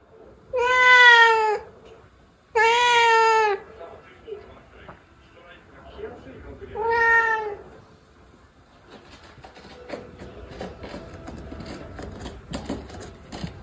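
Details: Domestic cat indoors meowing three times, two strong drawn-out calls and a shorter third, followed by scattered clicks, rustling and faint voices.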